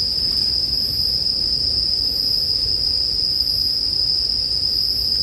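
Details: Unbroken high-pitched ringing of bell crickets, steady in loudness, over the soft low rumble and crackle of a burning campfire, in a relaxing sleep background.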